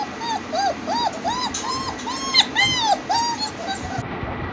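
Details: A litter of home-bred German Shepherd puppies with heavy bone and double coats, whining steadily. Arched, rising-and-falling whimpers come roughly three times a second, some higher and squeakier, over a low hum before a brief quiet end.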